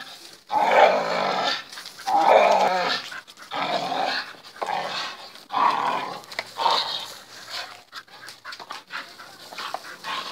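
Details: A tricolor Bull Terrier at play gives rough, throaty growling vocalizations in bursts of about a second; Bull Terrier.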